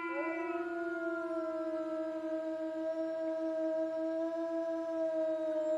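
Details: Wolf howling: long, smooth, sustained tones held nearly level for several seconds, a lower steady note overlapped by a higher one that rises at the start and then holds.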